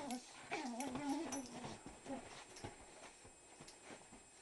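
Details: Mika the Shiba Inu wrestles young Yuma, four months old, for a green turtle toy, giving a wavering, whiny shiba-monkey moan for about a second and a half before quieter rustling and scuffling of play takes over.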